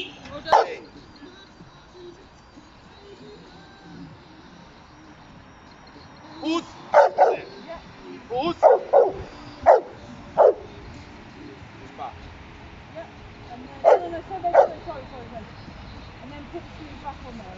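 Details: Giant Schnauzer Uran von Elberfeld, called Hektor, entered in the AVD 2020 Bronze class trial: a lone sharp bark, then a burst of loud deep barks in quick succession, and a final pair, with the handler's voice between them.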